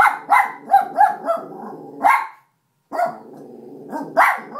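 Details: Female miniature schnauzer indoors guarding against a suspected intruder, giving rapid sharp barks in quick runs, some doubled, with rumbling growls underneath and a short silent gap midway.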